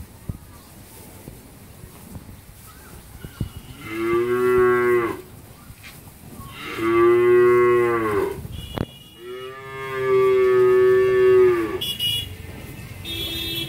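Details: Heavily pregnant Friesian dairy cow near calving in Pabna, Bangladesh, lowing three times, each moo a rich harmonic call of one to two seconds, spaced roughly three seconds apart, with light background clatter.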